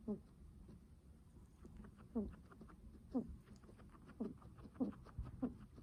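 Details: Guinea pig breathing heavily: short low, harmonic puffs with a slightly rising tone, repeated roughly every second, over faint background rustling.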